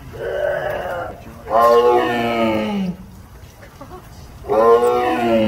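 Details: A tiger at a zoo gives three loud, rich, moaning roars, each sliding downward in pitch at its end.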